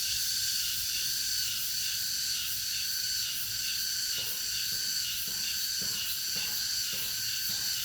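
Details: Cicadas in August fill the air with a dense, steady high-pitched buzzing drone, pulsing slightly.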